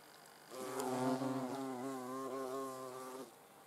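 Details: Hornet near the camera: a steady, low humming wing buzz with many layered overtones lasts nearly three seconds, swelling slightly, then stopping abruptly against a quiet background.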